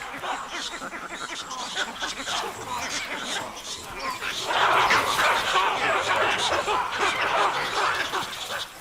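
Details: Baboons in Africa give a rapid, overlapping clamour of harsh barks and chatters as alarm calls, ganging up with other animals to drive off a leopard.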